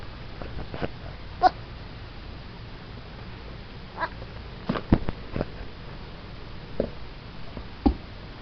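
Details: Baby goat's funny, duck-like noises: a few short, strained cries spaced through the recording, mixed with tapping and handling sounds.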